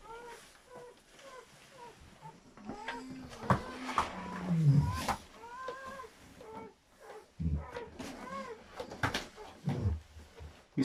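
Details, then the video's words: German Shepherd newborn puppies squeal during whelping of a seven-puppy litter. Thin, high arched squeaks come in quick bursts of two to four, with a low falling moan midway and scattered knocks and rustles. "German Shepherd Dog Labour (7 Puppies Pregnancy Delivery)"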